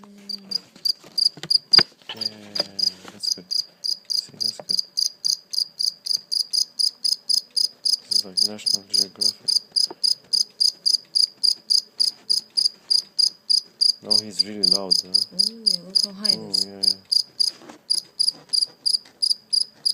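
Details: A live cricket, caught and later let go, chirps steadily in rapid regular pulses about three or four per second throughout, while people talk quietly in the background at intervals.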